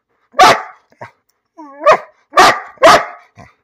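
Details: Bean, a pet dog, barking for no apparent reason: four sharp, loud barks spaced about half a second apart, with a brief whiny, falling yelp between them and a soft short yip at the end.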